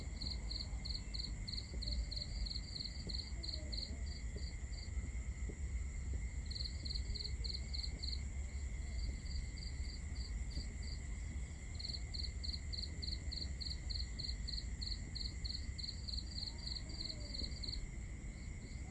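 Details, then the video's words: Crickets on a summer night in Southern Europe, chirping in quick pulsed trills that come in bursts with short pauses, over a steady high whine and constant low rumble of background noise. "calming cricket chirping sounds"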